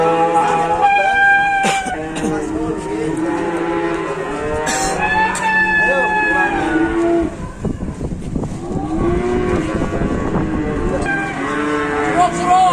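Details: Several cattle brought to market for slaughter moo repeatedly, long tonal calls overlapping one another, with people talking and shuffling around them in a noisy market yard.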